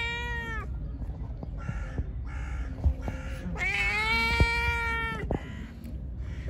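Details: A pregnant stray cat, hungry and angry after being given food, meows repeatedly: a long opening cry, shorter broken calls, then a drawn-out wavering wail, with knocks, clicks and low background rumble throughout.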